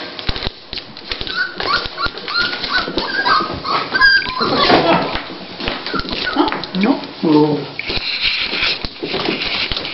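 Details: Female Toy Pinscher named Dolly, beginning labour before delivering puppies, lets out a string of high, wavering whines in the first seconds and later a short strained cry, while human voices chat nearby.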